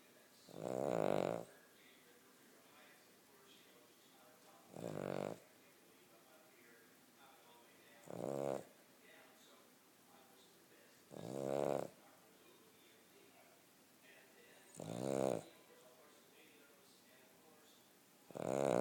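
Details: Sleeping Cavalier King Charles Spaniel snores steadily: six rough, buzzy breaths recur every three to four seconds, separated by quiet pauses.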